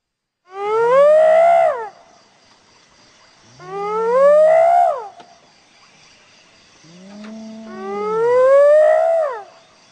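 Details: Hyena calling three times. Each call is a drawn-out, upward-sliding whoop lasting about one to two seconds, with the third the longest. A faint steady hiss sits in the background between the calls.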